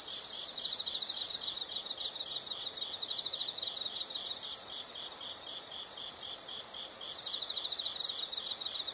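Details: A short shrill insect drone fades out early, leaving a long run of soft, regularly pulsed high chirps repeating in quick groups.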